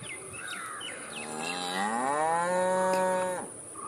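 A cow gives one long, rich moo that swells in pitch, holds steady, then cuts off.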